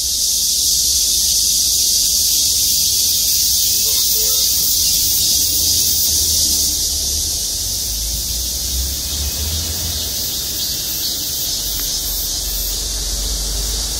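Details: Cicadas in chorus in parking-lot trees at Gwangmyeong City Hall, South Korea: a continuous shrill hiss that softens slightly partway through, while low traffic-like rumbling grows more noticeable underneath.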